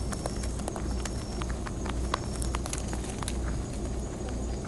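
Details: Several wild rabbits on Okunoshima (Rabbit Island) in the Seto Inland Sea, Hiroshima, Japan, munching timothy hay given by a visitor. Quick snapping crunches come in uneven bursts against a low background hum.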